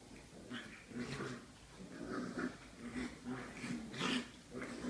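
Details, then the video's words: Small puppies biting each other in play, giving short, low, rough growling bursts with soft whimpers and breathy huffs, repeated every half second or so, with brief higher yelps between them. "Małe pieski Gryzi 8 gryzą się"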